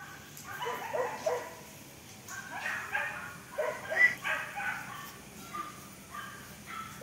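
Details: Black Pomeranian puppies giving short, high yips and whimpering barks in uneven bursts, several calls clustered between two and five seconds, fainter yelps near the end.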